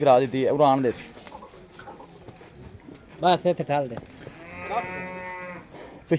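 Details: Friesian cow at a Pakistani farm sale, May 2024: a man talks briefly, then a drawn-out, even-pitched moo of about a second rises out of quiet farmyard noise, followed by more speech.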